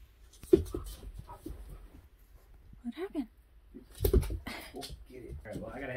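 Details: Female Labrador Retriever puppy chasing her own tail indoors in a small room, giving a few brief high whimpering whines between bursts of people talking nearby.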